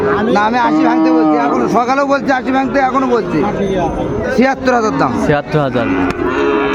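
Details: Sahiwal bull at a cattle market in Munshiganj, Bangladesh, bought by a farmer on 28 February 2025; a low, drawn-out moo with arching harmonics repeats amid steady crowd chatter and voices.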